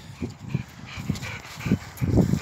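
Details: American Staffordshire Terrier playing football, giving low, rhythmic huffing or panting bursts about every half second, growing louder toward the end, with faint background noise.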